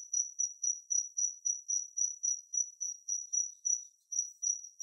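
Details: Kinhibari cricket song: a sharp, very high, tinkling trill of rapid short bursts, about four each second, loud and evenly repeated with no other noise.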